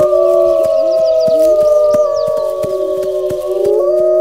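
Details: Several wolves howl together in a dense chorus, long sustained overlapping tones holding steady with small upward and downward slides, while a fast regular clicking runs through the background.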